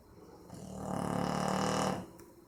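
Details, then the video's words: Maizena, a Boxer dog, snoring in sleep on 18 April 2015; one rough, rumbling inhaled snore of just over a second with a steady low buzzing tone, building then cutting off into near silence. "Meu Boxer dormindo e roncando - cachorro roncando"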